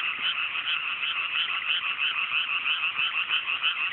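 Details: Many frogs calling together at night over freshly planted mountain rice paddies in rural Japan in clear weather; fast, evenly pulsing croaks about three per second swell and fade in a continuous rasping chorus.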